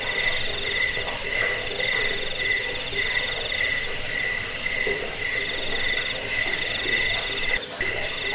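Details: Crickets chirp continuously in a sound for driving off rats and coaching birds. High, metallic pulsed trills repeat about twice a second, overlapping voices forming an unbroken, ringing texture.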